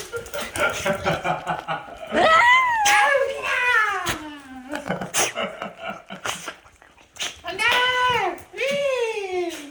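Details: Puppy named Bandal reunited with its owner after four days indoors, greeting excitedly with high sliding whines and yelps, some falling in pitch, mixed with people talking and laughing in a small room.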